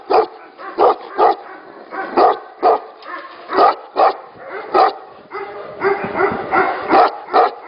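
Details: Tibetan Mastiffs at a breeding facility: loud single barks repeated roughly every half second to second, with other dogs barking more softly behind, building to a busier overlapping chorus near the end.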